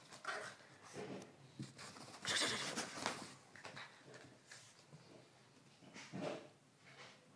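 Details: A 3-month-old male French Bulldog puppy gives short, husky barks in scattered bursts, defending his spot at the top of the stairs.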